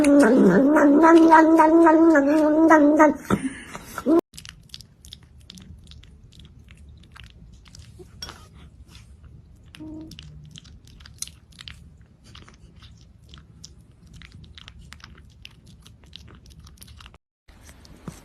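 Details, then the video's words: Indoors, a domestic cat makes a funny sheep-like sound while eating: a wavering, bleating cry for about four seconds, followed by soft chewing clicks and near-silence. "Funny Sounds Cats Make While Eating / Kedilerin Yemek Yerken Çıkardığı Komik Sesler"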